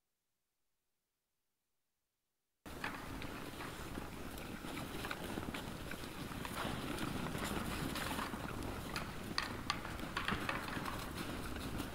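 After a brief silence, steady outdoor rumble and scattered rustling clicks fill the air, with no clear animal call.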